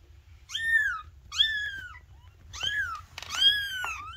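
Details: Little Maine Coon kittens giving tiny meows: four clear, high, slightly arching meows about one per second, each falling at the end, over a faint low hum.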